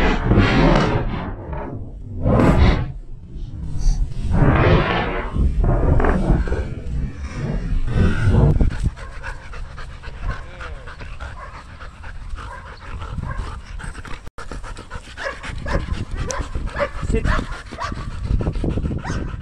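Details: Belgian Malinois named Danny playing fetch in Cebu, Philippines; heavy breathy panting bursts for the first eight seconds, then a quieter stretch with faint, softer breathing and some background noise.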